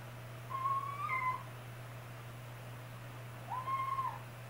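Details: Young kitten siblings meowing in distress, scared and unable to climb down from a cat tower they just climbed indoors; two drawn-out, slightly rising plaintive meows about three seconds apart over a steady low hum.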